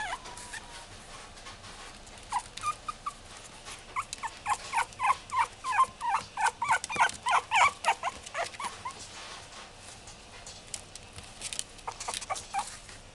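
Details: Long-haired Chihuahua at a pet shop, producing a rapid series of high yips and whimpering squeals, about three per second through the middle, then fading to scattered yelps.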